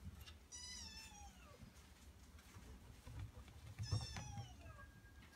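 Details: Two plaintive, descending meows about three seconds apart from Maria, a male Norwegian Forest Cat, with a steady low hum underneath.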